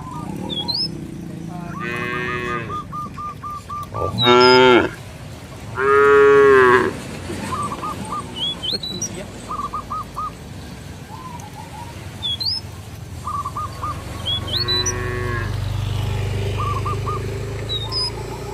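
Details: Cattle roaming a field in a village, calling companions to return to the barn: a series of deep, drawn-out moos, two loud ones close together and another later. Frequent short bird chirps and whistles in the background.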